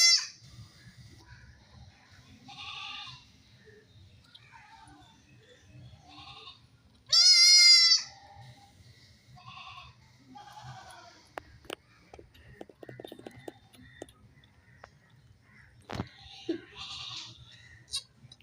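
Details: Baby goats playing, a young goat without its mother crying; several soft bleats and one loud, strongly quavering bleat near the middle, with clicks, scuffles and low background noise.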